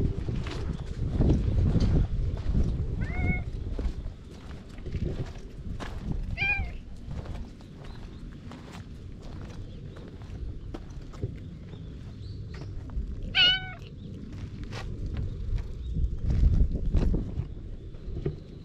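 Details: Frail orange tabby stray discovered on a cat island, recorded on a GoPro HERO8, gives three clear tonal meows, each bending slightly in pitch, spaced several seconds apart, over scuffing footsteps and low outdoor rumble.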